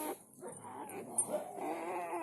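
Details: Soft, low whimpering from newborn village dog puppies, part of a freshly born litter of four, forms a steady wavering whine with faint tonal overtones.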